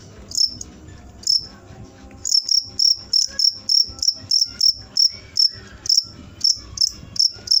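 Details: Cricket giving bright, high chirps, a few spaced pulses at first, then a steady run of evenly repeated bursts roughly three per second until the end, over faint background noise.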